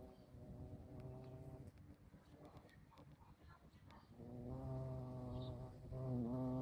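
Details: Bumblebee in flight, a low droning hum with rich overtones in two long bursts, the second louder and wavering slightly in pitch near the end, separated by a quieter stretch with faint scattered clicks.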